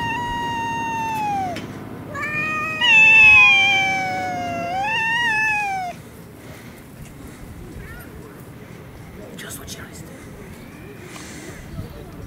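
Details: Stray cats fighting in a Russian city: drawn-out yowls sliding downward, then a louder wavering wail lasting about three seconds, followed by quieter background noise and faint distant calls.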